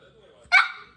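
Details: Angry Shih Tzu letting out a single sharp, harsh bark midway through, loud and raspy then quickly trailing off, after a faint low murmur.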